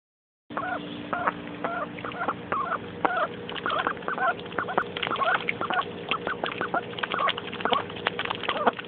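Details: Excited young female mallard duck, a pet kept indoors at the time, splashing and playing in a mud puddle; short nasal quacks repeated rapidly about twice a second over a steady background hum.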